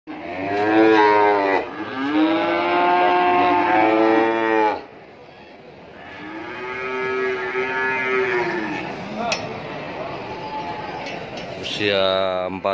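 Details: Large cattle for sale at the Ambarawa cattle market. Loud, long, harmonic moos: two back-to-back bellows over the first five seconds, a softer one after a pause, and another starting near the end, with faint market noise between.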